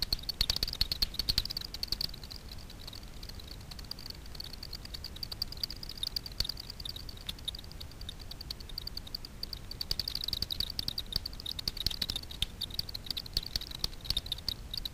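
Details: Night foraging of Daubenton's bats over Miedwie lake, Poland, recorded through a frequency division ultrasound detector: faint streams of quick ticks that thicken into rapid clusters near the start and again after ten seconds, under steady hiss.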